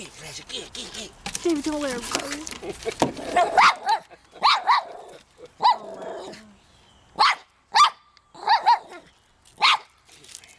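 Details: Shih Tzu dog attempting to catch a fish at a pond: human speech and laughter at the start, then short sharp barks and yips spaced irregularly through the rest.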